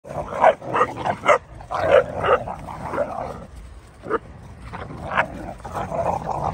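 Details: Three-month-old Dogo Argentino puppies play-fighting to establish which is more dominant, giving rough growls and sharp yipping barks in quick bursts, with short pauses between outbursts.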